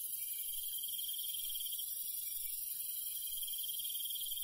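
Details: A countryside night full of cricket chirping: a thick high shimmer of insect calls holding level throughout, with a pulsing trilled tone beneath the hiss.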